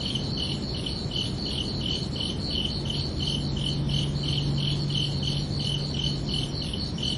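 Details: Night chorus of crickets on a summer evening, bright pulsed chirps at a steady rate of roughly three per second in two close pitch layers, with a faint low hum and background rumble beneath.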